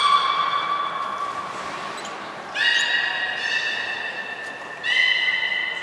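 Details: Beluga named Hodoi at Nagoya Port Aquarium during a training session for gastric fluid sampling and blood draw, 6 January 2019: three long, steady, harmonic-rich tonal calls, the later two pitched higher, echoing in a large indoor space.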